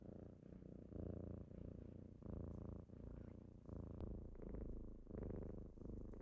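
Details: Rich rumbling purr from kittens on a morning wake-up, low vibration swelling with each breath about every three quarters of a second, with a light tick near the middle and brighter rattling overtones toward the end.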